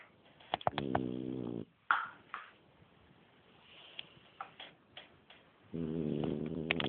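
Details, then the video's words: Sleeping French Bulldog snoring, with a buzzy harmonic snore, then a stretch of clicks, taps and small handling noises, and another snore rising at the end. "french bulldog snoring"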